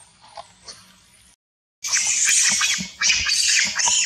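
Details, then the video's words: Monkeys fighting over a queen in a cruel attack near a forest: faint scattered cries, a brief silence, then dense, harsh, high-pitched screeching that runs almost continuously, with overlapping squeals and a short dip before it resumes. "Monkey Fighting To get a Queen Loudly Noise, Cruel attack near the Forest."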